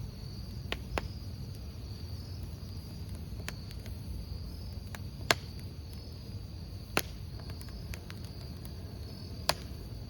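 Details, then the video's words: Crickets beside a campfire: a steady, thin high-pitched trill runs unbroken through the clip, while sharp crackles and pops from burning wood break in every second or two over a low, soft fire rumble. "모닥불 귀뚜라미 소리"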